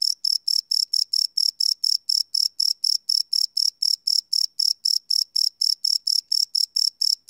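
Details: Cricket sounds at night, live field recording on a Sony PCM D100: rapid high-pitched chirps beating about four per second, clean and regular, no other animals or noise.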